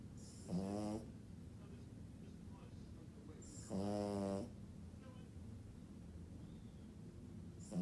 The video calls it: French Bulldogs Snore